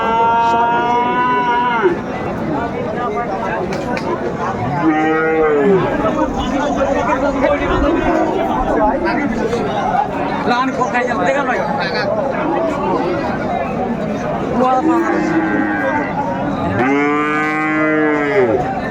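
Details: Cattle at Amburi market, Dinajpur, Bangladesh, on a Monday in April 2024 among Friesian and cross-breed bull calves for sale: four loud, drawn-out moos, the last long and rising then falling, with steady crowd talk between them.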